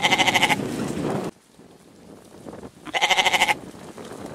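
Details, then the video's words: A goat gives a tremulous, pulsing bleat that trails into a rougher tail, then after a pause of about a second and a half bleats again with the same quavering pattern. "Goat | Con Dê | 염소 | Ziege"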